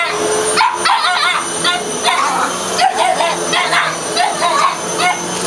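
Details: A Boston Terrier barks and yips in quick bursts at a running vacuum cleaner, its steady hum audible beneath.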